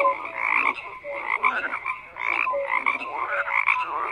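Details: Many frogs croak together in a busy chorus: rasping pulsed calls swell and fade roughly every second, with brief clear tonal notes scattered among them, steady throughout.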